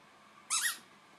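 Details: Zoe, a 9-week-old Australian Shepherd pup facing her new tennis ball, lets out one brief high-pitched yelp that rises and then drops, with quiet surroundings.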